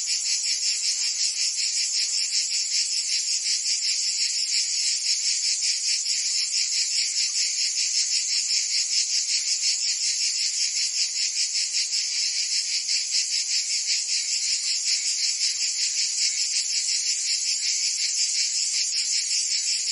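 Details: Cicadas singing in summer in Provence, France: a dense, unbroken high-pitched buzz, finely pulsed at a rapid steady rate, with no other sounds.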